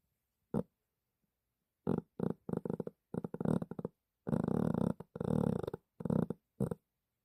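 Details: Sleeping pet dog snoring indoors: rough, raspy snorting breaths in short clustered bursts, some longer rattling rasps, separated by brief silent pauses.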